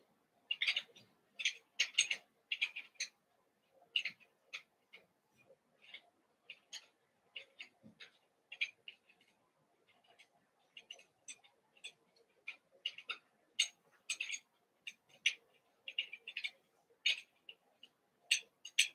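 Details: Playtime for a merged group of eight Cavalier King Charles Spaniel pups, Daisy's six joined with Robin's remaining two, in the evening; constant shrill squeaks and chirpy yelps follow one another rapidly throughout, some doubled, none long.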